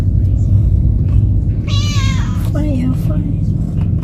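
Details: A talkative domestic cat travelling for the first time lets out one bright, sustained meow, followed by a person's soft speech, all over a deep continuous vehicle hum.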